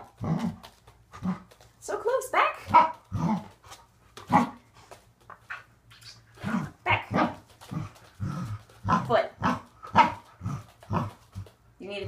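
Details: Repeated sharp, yappy barks from Waffle, a male Corgi, in a training session on leg extension and conditioning exercises, interleaved with spoken commands like "back" and "good job".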